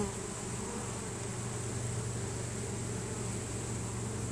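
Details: A swarm of honey bees entering its new home, the bees releasing Nasonov pheromone to guide the rest; a deep, droning collective buzz dominated by low tones, level and continuous.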